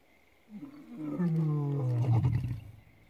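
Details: A lion at Lalibela Game Reserve, South Africa, lets out a single deep roar, starting with a rough moan and swelling into a loud, throaty bellow that slides lower in pitch and fades, with no other sounds nearby.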